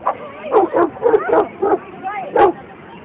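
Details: Boston Terrier at a dog run on 22 May 2011, giving about six short, sharp barks in quick succession over three seconds, with human voices and general chatter underneath.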